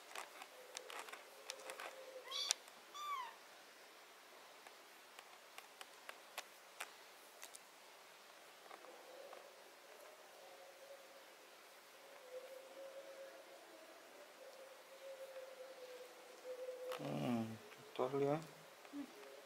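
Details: Domestic cat during removal of botfly larva, ringworm, fungus and blackheads from its skin: one short harmonic meow, then a long, steady, low drawn-out moan lasting several seconds, with scattered clicks and handling noises toward the end.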